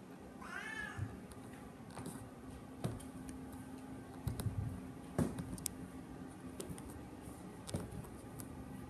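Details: Paco, a hungry domestic cat, gives a single short arched meow near the start, then falls quiet over a low indoor hum with faint clicks and knocks.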